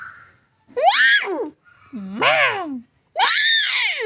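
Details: Cat giving three loud, strained meows, each arching up and then sliding down in pitch, separated by short silences, in a small room.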